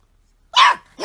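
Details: Golden Retriever puppy giving two short, bright, sharp yaps about half a second apart, the second cut off at the end.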